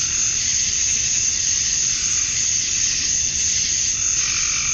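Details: Cicadas in Georgia, USA, on a summer night at dusk, the males chirping to draw females: an unbroken, shimmering high buzz that swells slightly and fades, with a faint lower pulsing tone near the end.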